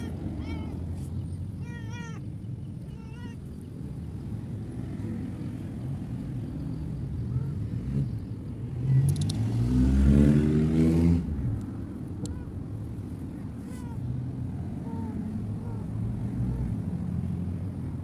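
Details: Roadside-abandoned cat giving a few quick meows early on, then fainter single cries, while a vehicle passes loudly in the middle and a constant low engine drone runs underneath.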